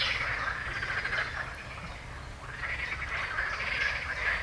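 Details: A dense frog chorus of many overlapping, pulsing croaks merges into a continuous rattling wash; a common chaffinch also sings, recorded 15 June 2020.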